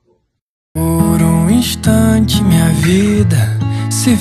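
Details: After a short silence, loud music begins with a gliding, voice-like melody over deep bass notes and bright percussion, lasting to the end without any animal sound.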